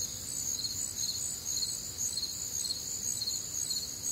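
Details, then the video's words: Crickets calling on a warm, humid summer night in the Midwest, a bright, rapid, evenly pulsed chirping in stacked high bands, unbroken for the whole stretch, with light low background noise. "Night Time Cricket Sounds"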